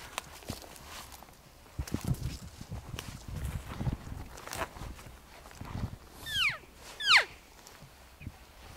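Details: Close encounter with a bull elk on an archery hunt, 7 September 2018, calling from a ridge point: after several seconds of footsteps and brush noise, two sharp, high whistled bugles slide steeply downward near the end.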